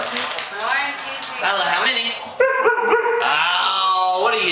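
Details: A female Alaskan Malamute "counts" on command with a run of short, wavering barks and woo-like whines that bend up and down in pitch, while a woman praises her and asks how many.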